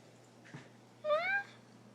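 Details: Hungry, heavy domestic cat giving one clear meow lasting about half a second, slightly rising then level and tonal, preceded by a faint soft thump; a person speaks briefly just before.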